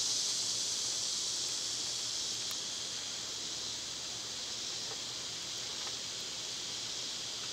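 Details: Cicadas in summer, loud at this time of year, form a steady high, hissing drone that holds nearly level throughout. A few faint clicks and ticks sit under it, and the buzz eases slightly after the first seconds.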